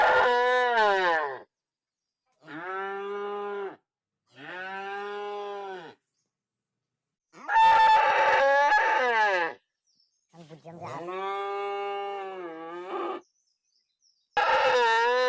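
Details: Cow mooing repeatedly, a series of about six drawn-out harmonic moos, each one to two seconds long, separated by short silences, some louder and harsher than others.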